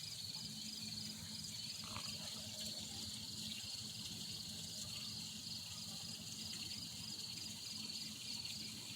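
An insect gives a high, steady, finely pulsed buzz that runs without a break.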